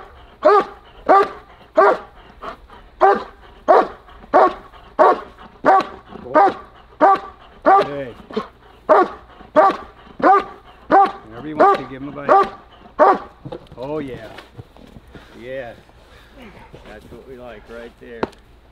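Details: German Shepherd at a protection-dog breeding kennel, barking in protection training: loud, regular deep barks about every 0.7 seconds for thirteen seconds, then softer broken sounds and a sharp knock near the end.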